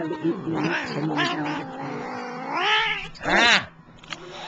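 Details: Domestic cat answering its owner with loud, bending meows, some long and moaning, ending in a sharp strained cry, while a person scolds it for mumbling back.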